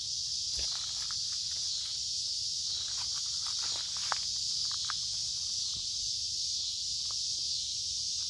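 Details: Many cicadas sing in midsummer on a warm, humid day in woods along a creek, a dense steady high hissing drone, with footsteps crunching nearby during a walk.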